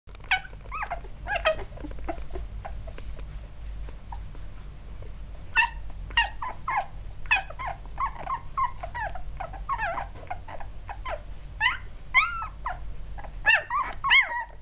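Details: Eight-day-old field-type Labrador Retriever puppies in a litter, squirming about indoors; many short, high, squeaky whimpers and chirping cries overlap, some bending up and down in pitch, from several pups at once over a steady low hum.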